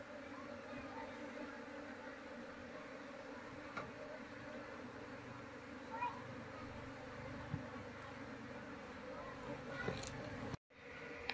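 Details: Honey bee colony buzzing while beekeepers search for its queen before moving it into a hive box; a low steady hum with faint overtones, brief clicks and knocks, and a sudden short dropout near the end.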